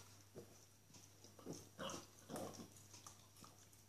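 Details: A small female Norwich Terrier enjoying a bone gives soft, short snuffling grunts, the strongest near the middle of the sequence, over a steady low hum and quiet chewing clicks.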